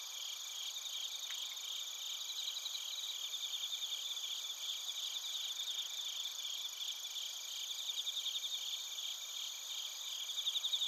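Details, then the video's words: Crickets and bell crickets chirping in Narita, Chiba, Japan, on a TASCAM Portacapture X8 recorder; a steady, many-layered high trilling chorus with rapid pulses, a short faint click early on, and a slightly stronger pulsed trill closing. "スズムシとコオロギの鳴き声 - Chirping of crickets"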